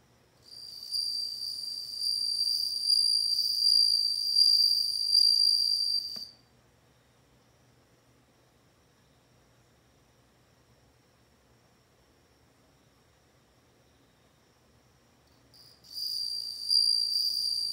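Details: A bell cricket rings out a steady, piercing high trill for roughly six seconds, falls silent for about nine seconds of quiet, then starts its ringing song again near the end.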